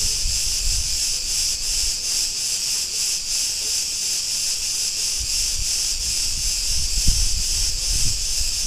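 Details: Cretan cicadas in an Ierapetra street, Greece, keep up a bright, continuous hissing buzz with faint regular pulses, over scattered low thumps and rumbles of street noise.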